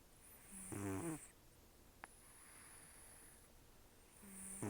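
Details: Elderly rescued cat Taro, estimated 10 to 14, nearly toothless and known for very rough snoring and nasal breathing, sleeping soundly. Two harsh, buzzy snoring breaths about three and a half seconds apart over a quiet, hissy room.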